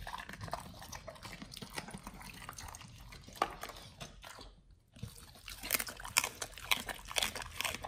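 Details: Pit Bulls on a raw diet crunch through beef, quail egg and duck wing; quick repeated bites roughly twice a second, a short silent break just before five seconds, then louder crackling chews.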